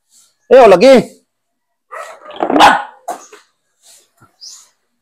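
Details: Aspin, a Filipino native dog, during a bath: a wavering, rising-and-falling whine-like cry, then after a pause a rougher bark, with faint speech and soft handling noises between.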